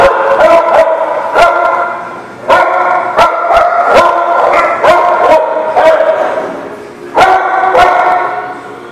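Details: Several dogs at a dog park barking repeatedly, sharp overlapping barks in bursts roughly every half second to second, loud and close, with brief gaps between volleys.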